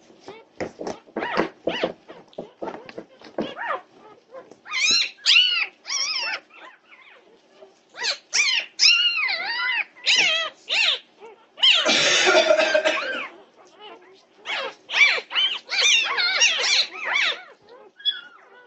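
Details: Several Norwegian Buhund puppies at 2:30 am, recorded 8 June 2021, in a noisy chorus of high, arching yelps and whines. The short cries come in rapid, uneven bursts, with a harsh, broad squeal near the middle.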